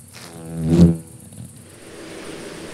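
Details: Summer chafer (Amphimallon solstitialis) flying through countryside in central France between 22:00 and 22:15 on 30 June 2012; a low, harmonic buzz swells to a peak and fades within about a second as it passes, over a faint steady hiss.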